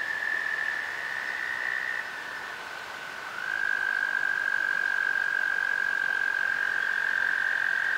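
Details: In spring (April–May 2019) along the Potomac River near River Bend Park, Great Falls, Virginia, American toads trill in chorus: long, steady, musical trills at slightly different pitches overlap and hand off with no break.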